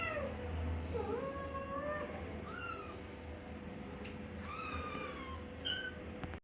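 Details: Persian cats in Gujranwala, a cat and kitten; several thin, high rising-then-falling meows overlapping one another, over a steady low hum and background noise.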